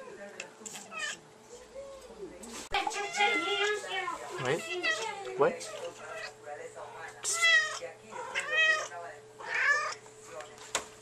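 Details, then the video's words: Female house cat talking to her owner with repeated mews, several wavering, bending meows in quick succession mixed with a person speaking back to her in a small room; a constant low hum underneath. "Cute kitty talks!!"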